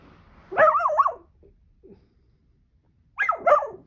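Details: Seven, a Miniature Dachshund who loves to burrow under anything, gives two drawn-out, wavering barks with a warbling, howl-like rise and fall, about two and a half seconds apart, with faint snuffling between them.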